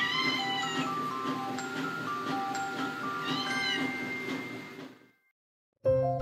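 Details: Siamese cat, a domestic breed described as especially talkative and very affectionate, calling to get human attention: drawn-out, arching meows near the start and again around the middle, over steady background music, ending in a brief silence.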